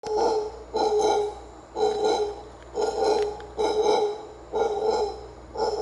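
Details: A wild howler monkey at the ancient Maya site of Comalcalco, Mexico, gives rough, throaty, rasping roars in a steady series of harsh growling bursts about once a second, with faint background hiss between them.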